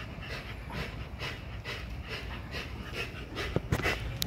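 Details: XL American Bully pitbull at Caona Bullys working out on a heavy-duty spring pole; soft, breathy panting bursts, uneven and partly masked by low rumbling background noise, with a few sharp clicks near the end.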